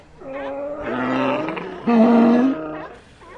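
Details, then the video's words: Sea lion giving two drawn-out, hoarse calls, each a rough, roaring moan about a second long, the second louder and slightly rising at its end. "Ambient Sea Lions"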